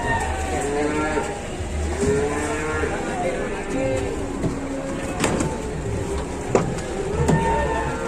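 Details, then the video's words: Cattle on an overloaded truck in Indonesia moo in long curved calls, thinning out later on, while men talk and shout, sharp knocks and bangs ring out, and a low engine hum continues throughout. "MUATAN SAPI OVERLOAD"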